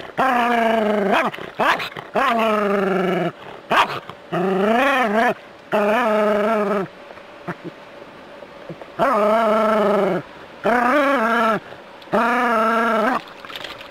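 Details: Jack Russell terrier kept as a city pet faces a rat snake, voicing a series of sustained, wavering, harmonic whine-barks, some rising and falling, separated by short gaps and a few quick yips.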